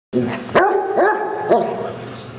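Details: Basset hound giving a drawn-out, wavering bay with strong harmonics, rising and falling in pitch, broken by a few sharp knocks; a loud, close recording.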